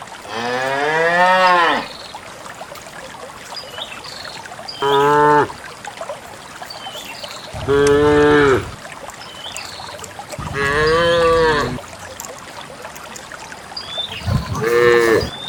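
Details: Cattle, dozens of cows walking out to a green valley to graze on a quiet countryside morning, moo repeatedly, each call a loud, harmonic-rich bellow lasting one to two seconds.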